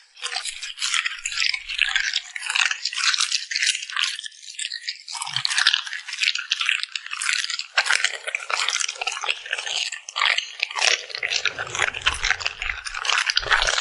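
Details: Close crunchy chewing and lip smacking from a puppy at mealtime. Fast, continuous crackles and wet pops fill the whole stretch, with faint low thuds appearing near the end.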